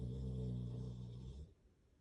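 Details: Sleepy pup snoring while asleep: a low, droning breath with a steady stack of tones that holds for about a second and a half, then cuts off into quiet.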